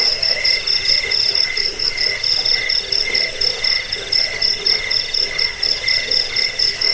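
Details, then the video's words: Crickets, sold as a rat-repelling, sleep-inducing track and tutor sound for birds, keep up a dense shrill trilling at two pitches, beating in quick irregular pulses over faint background hiss. "Suara jangkik pengusir tikus pengantar tidur"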